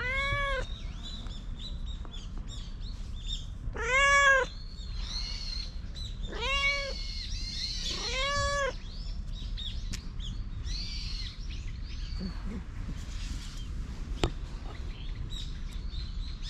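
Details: Affectionate stray cat dashing up on seeing a familiar face, captured with a GoPro: four short arched meows spaced a few seconds apart, with faint high chirps between them and a quiet outdoor hum.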